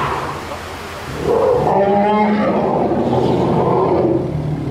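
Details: Zoo elephant herd of cows, led by Indra, first exploring their new Dschungelpalast outdoor area; a sudden loud, drawn-out harmonic roar swells after one second and holds over continuous low rumbles.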